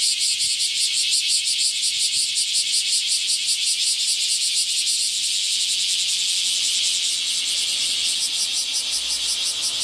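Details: Bear cicadas (Cryptotympana facialis) in a loud morning chorus close by on 23 July 2018, a hot heatwave summer day: dense, pulsing, high-pitched buzzing.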